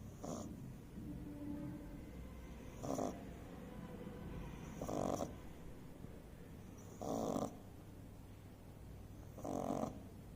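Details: Sleeping beagle puppy snores, with a soft, breathy rasping snort roughly every two seconds and quiet breathing between the snorts in a calm indoor room.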